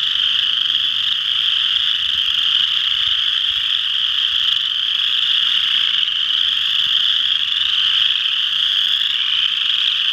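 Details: A dense chorus of western chorus frogs at Ojibway Park, Windsor, Ontario, their high rasping trills blending into one steady ringing drone.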